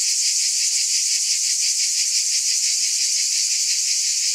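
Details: Short stretch of loud cicada buzzing, a constant high sizzle with soft rhythmic wavering and nothing else heard.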